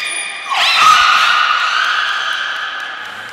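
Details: Niko, a beluga at Port of Nagoya Public Aquarium, in training on 25 February 2024: a steady high whistle gives way to one sustained, rich harmonic call that swells quickly and slowly fades over three seconds.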